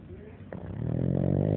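A Boston Terrier snores with a low, rumbling, rattling breath that swells in loudness.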